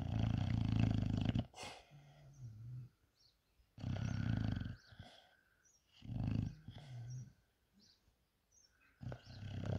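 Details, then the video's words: Lazy, sleepy English bulldog snoring while asleep: long rough low rumbling inhalations about every two and a half seconds, each followed by softer wheezy, whistling exhalations and short quiet pauses. "Snoring Lazy Sleepy English Bulldog!!"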